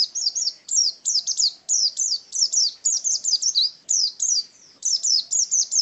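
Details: Pet pleci white-eye kept for song contests, delivering rapid high twittering chirps, each a quick downward slur, grouped in bursts of two or three with brief gaps.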